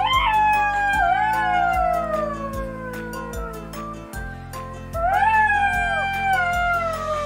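A golden jackal gives long wailing howls that slide downward, over a steady musical beat.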